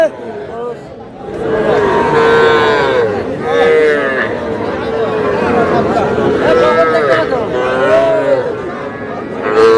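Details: Cattle at a market in Madaripur, Bangladesh, where small bull and heifer calves are sold, 25 July; steady, even-pitched moos sound repeatedly, some overlapping, beneath loud crowd talk and price shouting.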